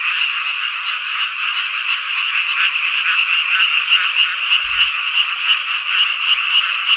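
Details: Summer night chorus of frogs in Hongcheon, Gangwon Province, South Korea; crowded, continuous croaking with quick pulses and a prominent ringing note running through, one short low thud midway.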